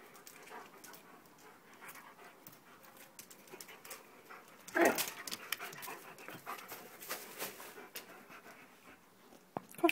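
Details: Dog panting while playing with another dog: steady rapid breathy huffs, with a louder scuffling burst near the middle and a few sharp knocks toward the end.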